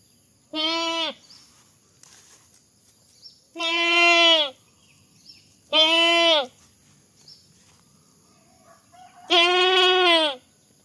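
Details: Goat bleating, shown as funny goat sounds: four loud nasal bleats, each about half a second to a second long, with steady harmonic tone and pauses of one to three seconds between them, over a quiet background with a faint high hum.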